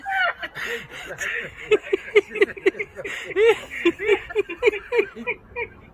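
A French bulldog gives a rapid run of short, arched, squeaky grumbles and yelps.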